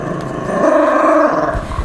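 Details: Golden retriever snoring after falling asleep while its owner tells it a made-up story: one rough, droning breath with a steady buzzy tone throughout.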